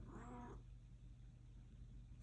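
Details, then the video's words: Domestic cat indoors, calling because it wants to go out: one short harmonic meow lasting about half a second, then low hum and quiet room noise. "My cat says “I gotta get out!”"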